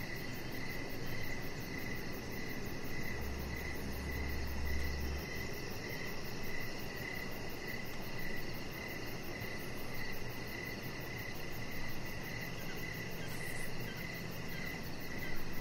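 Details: Evening crickets outside near a deck with decoration lights, a steady high-pitched pulsed chirping running throughout, partly buried under a broad low rumble.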